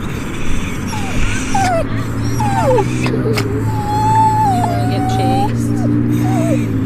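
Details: Upset pet dog whining, thin drawn-out wavering whines rising and falling, one long steady whine near the middle, over a constant low hum with a person's voice.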